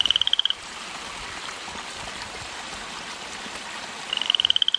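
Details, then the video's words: A lone frog in a residential garden, not near natural water, calling at night: one fast pulsed trill at the start and another at the end, separated by steady hiss. "Loud Mouth Frog"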